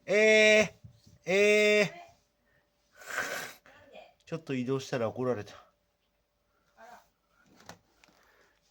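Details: Male Maine Coon named Sete, born 21 July 2021, a pet living indoors with a family: two loud, drawn-out, steady-pitched meows of about half a second each, close together, followed by a human voice talking in a small room.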